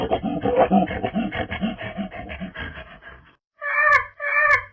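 Proboscis monkey giving a rapid run of rough grunts, then two nasal, drawn-out honks.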